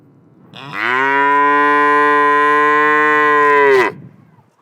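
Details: A steady, sustained lowing comes from a black and white cow standing in a pasture. The moo holds a flat, full tone for about three seconds, then drops away sharply. The background is otherwise quiet.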